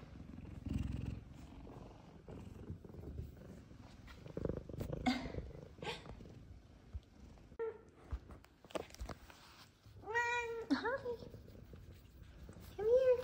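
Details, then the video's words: F2 Savannah cats Zara and Kumba, happy and affectionate with their owner: a low, steady purr under soft handling noises, then a short chirpy meow and a longer arching meow, ending in a brief rising mew. "Meows, Purrs, And Lovings From F2 Savannah Cats"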